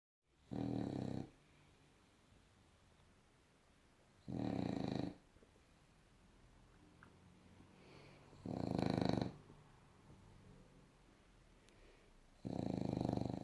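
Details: Bulldog snoring while lying asleep on its back, undisturbed: four loud, rasping, rattly snores of about a second each, spaced roughly four seconds apart, with quiet breathing between them indoors.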